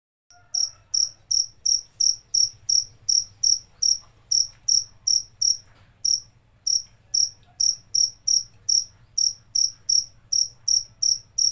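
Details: Cricket chirping in short, shrill pulses, roughly three per second, after a brief silent start. The rhythm falters with a short pause near the middle, over a faint low hum.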